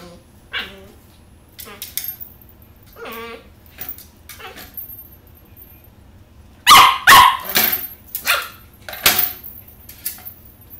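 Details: An 11-week-old Pembroke Welsh Corgi puppy named Oppie, playing indoors with a cat's toy, trying to get a little red ball; soft whines and yips early, then a burst of sharp barks, with faint speech.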